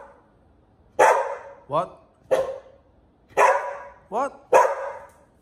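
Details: Puppy Liberty pesters older Pit Bull Bullet. Loud harsh barks alternate with higher, wavering yelps in quick succession, about six sounds in five seconds, with human speech faintly mixed in.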